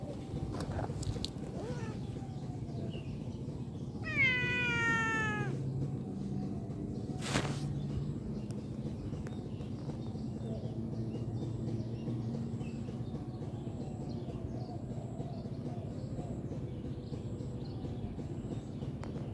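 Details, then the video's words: Cute kitten at play, giving one clear drawn-out meow with strong stacked harmonics, falling slightly in pitch, followed by a sharp knock; low steady background rumble and faint distant bird chirps throughout. "Bermain bersama Kucing imut"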